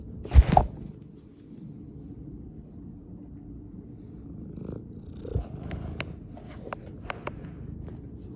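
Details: Miss Muffet, a tabby cat at Whiskers of Love Cat Rescue and Sanctuary in Philadelphia, purrs steadily while being kissed. The purr is a deep, continuous rumble, punctuated by soft kiss smacks and a few sharp clicks.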